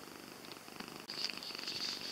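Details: Jessie, a domestic cat, purring indoors: a soft, steady, rapidly pulsing rumble that swells louder in the second half, with a thin high whine running throughout.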